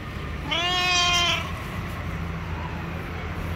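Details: Single drawn-out harmonic meow from a yellow stray cat living on the street, seemingly wanting to say something; one clear arched call lasting under a second, then low rumbling background noise.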